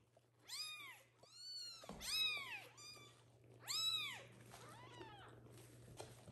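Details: Hungry little kittens calling loudly for their mother cat to return and feed them; several clear arched meows rising then falling, spaced about one to two seconds apart, over a constant low electrical hum.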